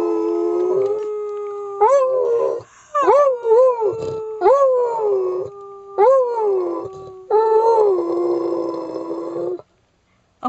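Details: Pet beagle, a male, sings on request before heading out for a walk, giving long wavering bays with repeated upward-swooping yelps at irregular intervals, ending abruptly.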